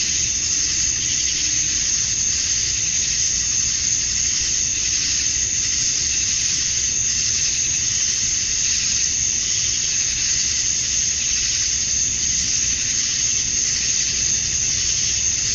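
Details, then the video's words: Male cicadas chirping to attract females at summer dusk in Georgia, USA: a dense, unbroken high-pitched shrill hiss holding steady throughout, with a bright whining edge at the top and no other clear sounds. "Cicadas at Dusk, Summer Night"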